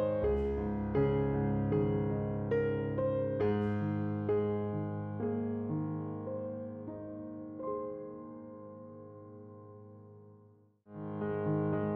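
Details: Gentle piano music plays throughout with sustained chords, fading out briefly before resuming; no animal sounds are heard.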